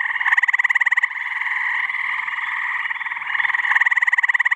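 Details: Male gray tree frog giving its pulsed mating trill on a warm spring evening in a New Hampshire swamp in mid-May; a loud, rapid, evenly pulsed rattling trill starts, fades into a dense background chorus, then returns.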